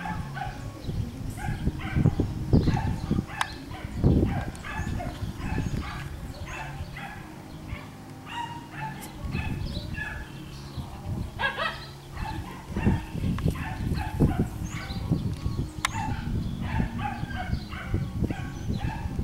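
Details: Schnoodle puppies (Miniature Schnauzer mother, Miniature Poodle father) play on a farm in Iowa. Busy overlapping yelps and squeals repeat throughout, with thumping, rustling play noise underneath and a little human speech.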